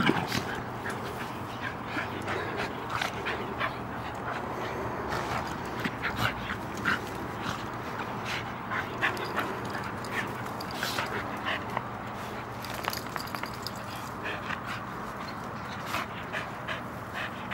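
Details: Two Soft-Coated Wheaten Terriers, a five-year-old adult and a three-and-a-half-month-old puppy, playing together in a yard; short breathy bursts and scuffling play noises recur throughout over a steady low background hum.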